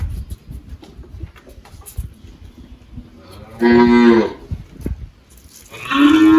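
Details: On a farm in Anápolis, Goiás, Brazil, on 1 March 2023, the 18-year-old spotted Girolando cow Malhada, recently calved, gives two short, steady-pitched moos after a few seconds of quiet farm background.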